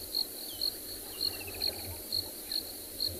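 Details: Cricket chirps ring out in rhythmic high bursts during a December 2020 afternoon game drive in South Africa, while a faint descending bird trill passes behind and a low droning hum persists.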